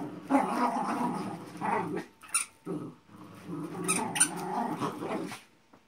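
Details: Xolo pup and Manchester Terrier at tug play, giving rough, rattling growls with a short yelping bark near the middle, then more grumbling growls and a few sharp clicks.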